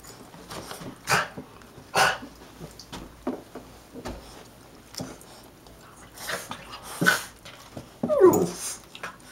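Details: Indoors at the door, Gizmo the Shih-tzu/Maltese and Kodi the Yorkie/Maltese greet someone arriving: a run of short, scattered yelps and clicks ending in a higher, whiny yip, with household noise in the background.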